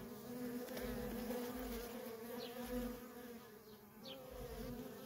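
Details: Worker honey bees in nonstop traffic at a feral colony: a steady, low droning hum with a strong fundamental and a higher overtone, swelling and fading as bees pass close, with brief faint chirps above.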